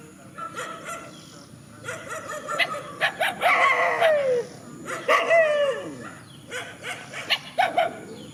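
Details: Rural dogs confronting each other in a field trade rapid barks and yelps that swell into short downward-sliding howls near the middle, then trail off into scattered barking, with a constant thin high hiss.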